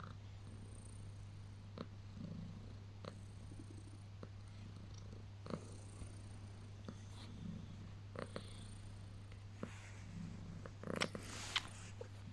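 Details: House cat purring through early morning cuddles after waking: a continuous low purr swelling with each breath roughly every second, with light rustling and a brief burst of movement near the end.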